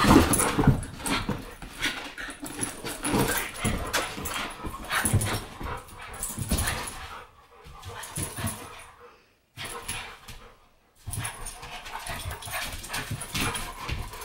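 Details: American bulldog and Boston terrier playing together inside; rapid growling, huffing and scrabbling bursts fill most of the recording, broken by two short silent gaps, with a faint voice at times.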